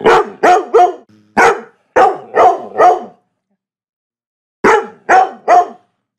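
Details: Labrador Retriever. A Labrador Retriever barks deeply and loudly, the barks coming in tight groups of two or three. A short pause separates the first run from a final burst of three barks.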